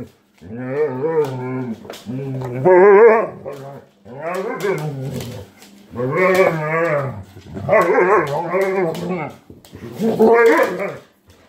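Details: German Shepherd indoors in a house during a playful 'ferocious attack' on Blue Putty: drawn-out, wavering, moaning vocal bursts, each about a second long, in repeated groups with short pauses between.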